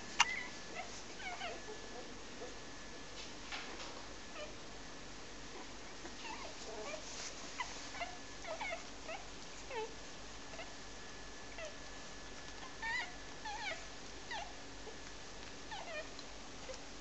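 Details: Clumber Spaniel puppies from a litter of three males and three females born 1 October 2008 in Sydney, Australia, giving faint, short, high squeaks and whimpers scattered throughout, over a quiet indoor background with a steady low hum.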